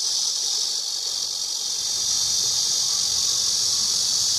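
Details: A cicada's unbroken high whirring drone fills the recording, steady from start to finish, over a faint low rumble in the background.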